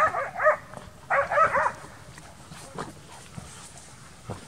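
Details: Transylvanian Hound in summer training for wild boar hunting: two loud, ringing bays open the recording, then only faint, scattered barks far off over quiet rural background.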